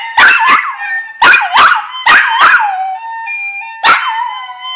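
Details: A singing dog gives a series of sharp yelping onsets that slide into sustained, tonal howled notes, falling then steadying, in groups roughly every second, with a brief steady tonal passage between phrases.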